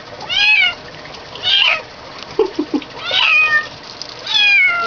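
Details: Protesting kitten in the bath, a female, gives four loud drawn-out meows roughly one per second, each high and falling in pitch, with a few short lower squeaks in between and faint soapy water sounds.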